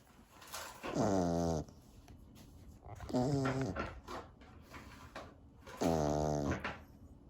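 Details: A Corgi snoring indoors: three long, loud rasping breaths spaced about two and a half seconds apart, each with a dense stack of low buzzy tones, quiet pauses between.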